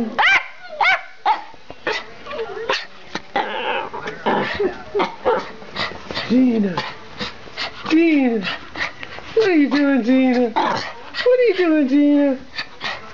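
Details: Schipperke pair barking and racing through the house; fast, irregular yaps and yelps with curved, whiny pitch, mixed with a person's voice calling out.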